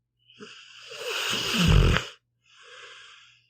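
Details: Sleeping pit bull named Meatball snores with a rough, swelling inhale that ends in a deep rattling burst, followed by a softer airy exhale.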